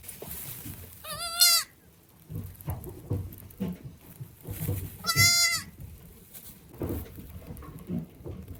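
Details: Day-old baby goat giving two strong quavering bleats, around four seconds apart, each under a second long, over low handling noise and faint background rumble.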